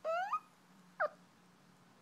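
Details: Peanut, a dog, yawning indoors. A squeaky whine climbs steeply for about a third of a second, then a second, shorter squeak follows a moment later. The room is otherwise quiet.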